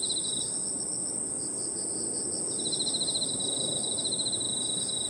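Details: Crickets and other insects calling together in a park in the evening: a steady, very high continuous trill, a softer pulsing chirp band beneath it, and a lower buzzy trill that joins partway through, over a low outdoor rumble.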